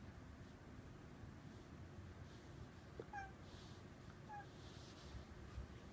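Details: Domestic cat at a window, watching birds outside and seemingly imitating their calls: two short, quiet, bird-like chirps about a second apart over a steady low room hum.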